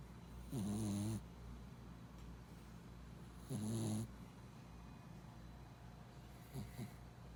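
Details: Tired after lots of play on a trip, a four-month-old Pembroke Welsh Corgi puppy snores in its sleep at a pet-friendly inn: two loud rasping half-second snores three seconds apart, then a fainter one.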